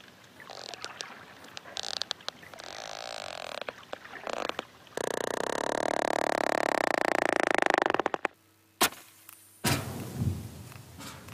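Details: Sperm whale codas, part of how sperm whales communicate: sharp, broadband clicks in uneven bursts, followed by a loud wash of noise.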